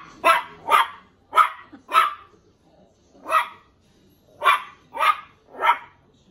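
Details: Cairn Terrier puppy Andy barks at his own reflection in a mirror, inviting it to play: eight sharp, high barks in two bursts, four quick ones, a single bark, then three more, with brief quiet gaps between.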